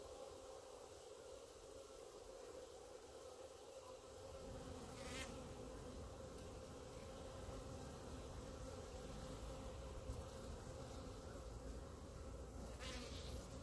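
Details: Honey bees clumped on the grass in front of their hives, a steady low buzzing hum with a band near 500 and 200 cycles, growing fuller after four seconds, with brief clicks of handling.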